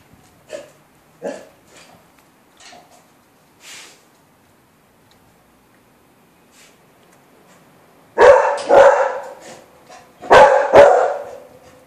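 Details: Beagle pups at day 24, recorded 20 November 2013: a few soft yips early, then after a quiet gap two loud pairs of sharp barks close together near the end.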